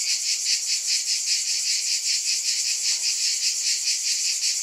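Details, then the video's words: Cicadas in a one-hour insect soundscape: a dense, continuous high-pitched buzz that pulses steadily about two to three times per second, with no other sounds. "Scintillating Cicadas"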